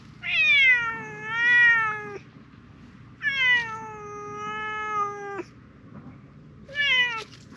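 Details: Loud meows from a silver-grey tabby cat in a park, appealing for something: three long drawn-out wails with rich harmonics, the first two about two seconds each, the last shorter, separated by brief pauses.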